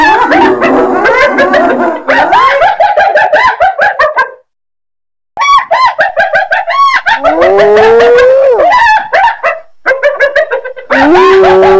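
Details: Hyena calling loudly in overlapping cackles and rising, wavering moans, the notes sliding upward and breaking off, a brief silence midway, then more strained rising cries.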